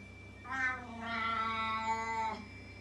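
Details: Loud domestic cat giving one drawn-out, harmonic meow of about two seconds, rising slightly then wavering and falling away, indoors with a faint steady hum behind.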